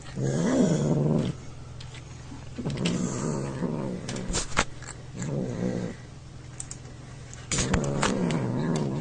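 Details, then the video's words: A domestic cat making weird growling sounds while eating and being poked, in low rumbling bursts of about a second each, four bursts separated by quieter gaps, with faint clicks and handling noise between them. "Cat making weird sounds while eating"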